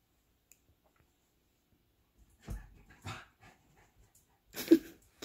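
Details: Pet dog named Longi acting up to get attention during play indoors; three short, breathy bark-like bursts near the middle and end, each well under a second, separated by quiet gaps.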